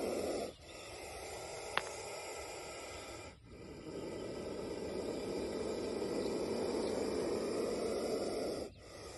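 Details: Indian spectacled cobra, described as angry, gives long sustained breathy hisses of roughly three to five seconds each, separated by short pauses, with one sharp click early on.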